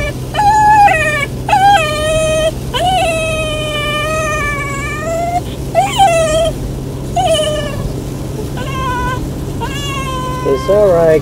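A Golden Retriever puppy whines in long, high, wavering cries, unhappy about riding in a car.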